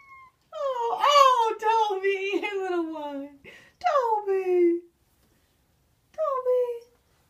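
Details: House cats begging for food indoors in a kitchen: long drawn-out yowling meows that slide slowly downward, followed by a shorter falling meow after a brief pause, in a quiet room.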